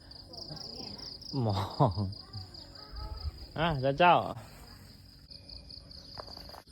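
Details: Two short quavering yowls from pet cats that fight each other, the second rising and falling in pitch, over a constant high-pitched cricket drone.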